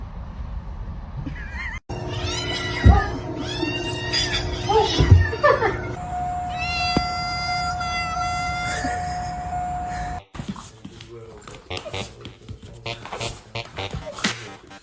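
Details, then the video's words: Cats in a fight: drawn-out, wavering yowls with bending harmonics for several seconds, then steady sustained musical tones and a person talking afterwards. "Cat Fight"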